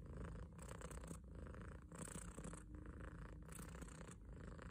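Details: Domestic cat named Tom purring loudly while yawning; a steady low rumbling purr with brief breathing dips about every half second to second, over a faint broadband hiss.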